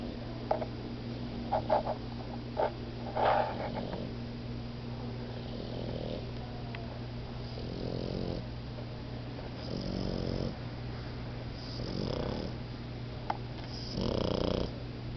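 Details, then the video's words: Two puppies, Momo and Lela, napping together: soft, raspy snore breaths swell about every two seconds in the second half, after a few light clicks and rustles near the start, over a steady low household hum. "Momo & Lela naping and snoring"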